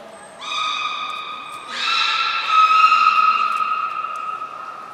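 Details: Belugas Gray, Nana and Mirai during a training session at Port of Nagoya Public Aquarium on 10 February 2024. Steady, harmonic-rich whistled tones hold level, then step up in pitch after nearly two seconds and sustain to the end.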